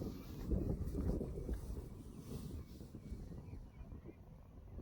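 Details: Low rumbling wind buffets the microphone outdoors in a pasture, with no animal voice standing out.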